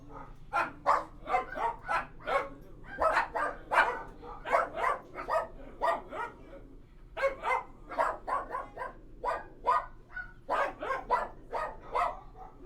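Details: Indoors at a kennel, dogs keep up continuous rapid barking, short punchy woofs packed several per second in rolling runs with brief pauses, some yappier notes mixed in, over a faint low hum.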